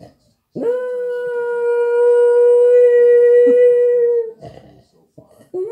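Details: An Australian Terrier, which howls when it hears other dogs on TV, gives one long, steady howl that holds its pitch before sliding down at the end.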